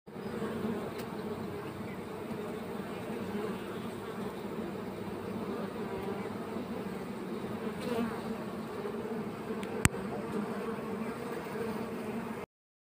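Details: Honey bees flying around a beekeeper's hives, arriving with pollen or nectar: a steady, low, droning hum of many wings that holds level throughout, with a single faint click near the end.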